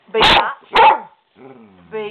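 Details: Skooter, a pet dog being mouthy toward his owner, gives two sharp barks in quick succession, then a softer drawn-out whine with clear harmonics.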